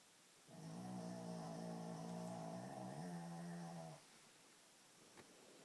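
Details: Barclay, a flat-nosed Shih Tzu, snoring indoors at night: one long droning, buzzy snore of about three and a half seconds, dropping slightly in pitch near its end, then quiet room.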